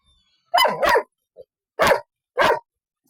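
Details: Golden Retriever, two years old, gives three loud, sharp barks: a quick double bark near the start, then two single barks spaced about half a second apart. A short faint sound falls between them, and the room is otherwise quiet.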